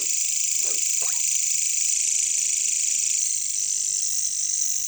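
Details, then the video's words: Steady shrill buzzing of caricangkas, katydids or bush crickets, in a jungle, with just two lower croak-like pulses early on, then only the continuous high drone. "bunyi caricangkas katydids bush crickets"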